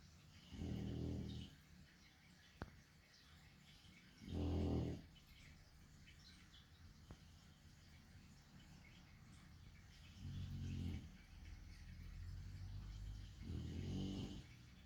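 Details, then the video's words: Chunky pet dog sleeping, giving occasional low, rumbling snores, four breathy bursts spaced several seconds apart in a quiet room. "a chonk dog sleeping with occasional snoring"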